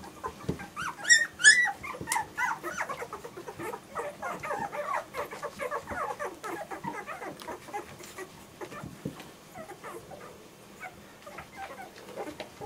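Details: German Shorthaired Pointer puppies whimpering and squeaking in a busy, overlapping chorus, with a brief louder high-pitched squeal near the start, then many short rising and falling yips fading toward the end.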